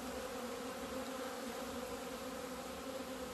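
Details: Hive of honey bees coming out into the sun on 17 February 2020 after two months of winter confinement. A constant droning buzz holds steady with no breaks.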